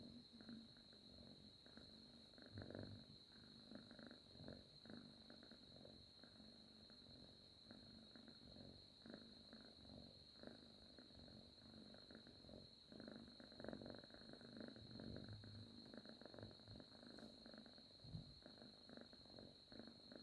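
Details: Domestic cat snoring softly while asleep on a person's arm, a quiet, rhythmic rasping breath repeated in short bursts, with a steady high electrical whine in the background.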